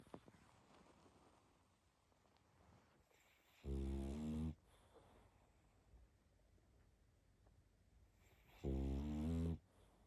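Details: Sleeping pug snoring indoors: two loud, harmonic, rasping snores roughly five seconds apart, each lasting under a second, with quiet breathing between.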